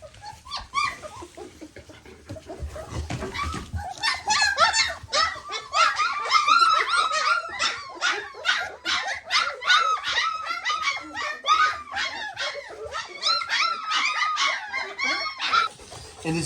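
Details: Excited three-week-old puppies after feeding, packed bursts of sharp high yelps and squeaks repeated rapidly, nearly three per second, many pups calling at once in a small indoor room.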